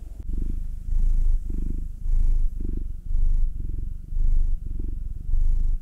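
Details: Domestic cat, one of two house cats (a nine-year-old black male and a two-year-old tortoiseshell Munchkin female), purring while being massaged: a deep, steady rumble swelling in louder pulses about once a second, close and intimate.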